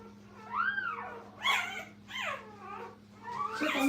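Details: Brittany puppies with their mother Minnie at a puppy training kennel; four high, arching whimpers rise and fall at about one-second intervals, thin and whiny with a steady electrical hum beneath.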